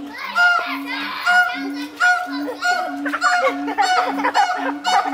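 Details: Morning duet of Brevard Zoo's siamangs Pete and Sapphire on their island: deep booming hoots in a steady pulse under higher whooping calls and rapid rising-falling barks, repeated in short bursts.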